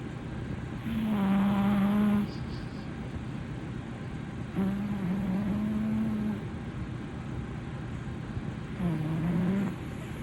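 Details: Haruhi, a blue male British Shorthair cat, snoring loudly on a sofa: three buzzy, droning snores of one to two seconds each, spaced a few seconds apart over a steady low background hum.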